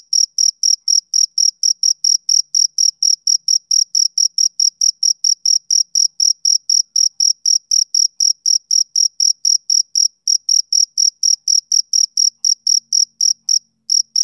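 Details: A male cricket sings on a summer evening, a fast regular train of bright, thin chirps, roughly four each second, continuing steadily to the end with only a faint low murmur at the close.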